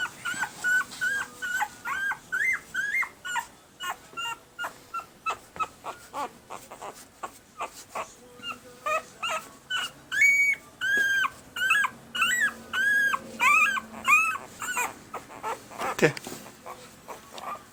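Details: Litter of red and sable male Pembroke Welsh Corgi puppies, one week old, recorded in April 2020, whimpering and squealing in brief upward-bending cries, roughly one or two each second, with soft shuffling and a louder bump near the end.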